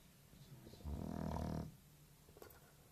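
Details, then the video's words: Lazy English Bulldog sleeping indoors, snoring like an old man; one long rumbling, low snore swelling for under a second, then quiet breathing. "Bulldog sleeping and snoring like an old man"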